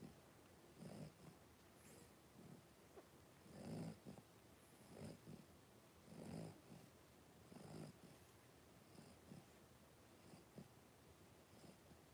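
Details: Three-week-old blenheim Cavalier King Charles Spaniel puppies from a litter of five, born on New Year's, wrestling and playing in their puppy pen; soft low grunts and growly huffs come in irregular bursts among quiet rustling.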